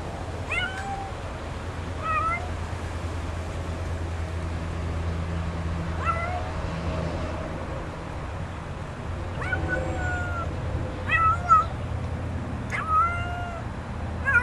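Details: Stray kitten found in a back yard, being offered food, giving short harmonic meows in loose irregular bursts, some rising then falling, spaced a second or more apart over a steady low rumble of background noise.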